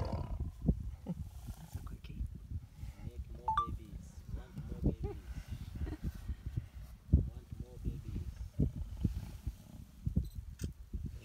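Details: A pair of lions mates in Kafue National Park, Zambia. The low, throaty growling runs for about eleven seconds, pulsing and uneven, with a sharp burst near seven seconds and fainter higher sounds in the middle.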